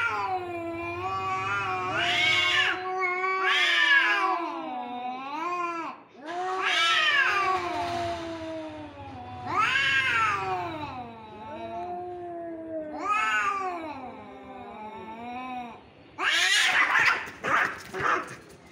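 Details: Two cats fighting, a steady series of wailing, up-and-down yowls every few seconds over a faint low hum, ending in harsh hissing screeches.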